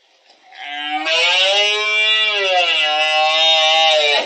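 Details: Red deer stag, twelve points, giving a rut bellow in October 2023 at Refugio de Fauna Chico Mendes, Spain: one sustained, loud roar of about three and a half seconds, stepping up in pitch early, then holding steady and rough.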